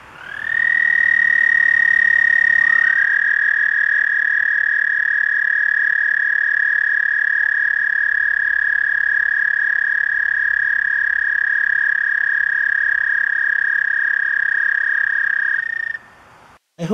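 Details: Two male American toads at a backyard pond in spring call for mates, giving long, steady, high musical trills that overlap at slightly different pitches.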